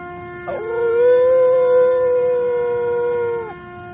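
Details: A singing dog howling in the morning: one long, steady, clear tone held for about three seconds with a small rise at the start, over a constant background hum.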